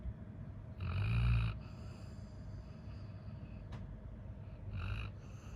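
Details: Labrador Retriever Coco, tired from a full day of play, gives two loud, low, throaty snores several seconds apart, each a rough rumbling breath, with quieter breathing and a faint click between them.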